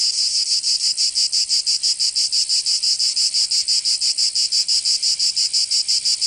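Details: High rasping song of cicadas in Provence, southern France, during summer; very regular pulses near three per second form a loud, even throb.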